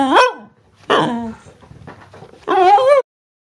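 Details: Female Cardigan Welsh Corgi chatting about her day: a quick rising-falling yelp, then a short harsh bark-like call, a pause with faint low rustling, and finally a wavering, whining moan.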